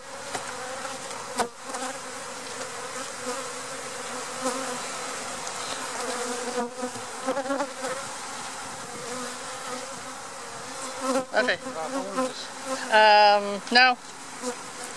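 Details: A honey bee swarm caught in April 2017, being installed into a hive, gives a dense, steady, low droning hum that swells and fades slightly.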